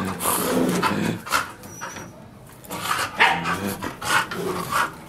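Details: A Bull Terrier gives short, rough growls and muffled barks in quick, uneven bursts while working a solid nylon-wrapped bike tyre.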